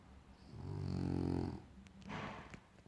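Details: Snoring French Bulldog: a deep, rumbling, harmonic-rich snore swells and fades over about a second, followed by a softer, airy exhale.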